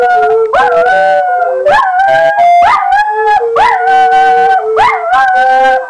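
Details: Two pet dogs named Morphy and Poppy join in with recorder playing, giving repeated swooping howls that rise then level off, about one each second, over sustained recorder tones.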